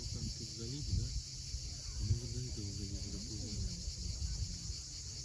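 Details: Sunset at Cape Fiolent, Crimea, with cicadas droning in a continuous high sizzle; beneath it, waves rumble and faint wavering low tonal phrases come and go.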